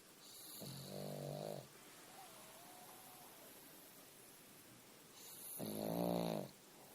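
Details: Sleeping pug giving two long buzzing, rattling snores several seconds apart, a soft faint whistle-like tone in the quiet gap between them.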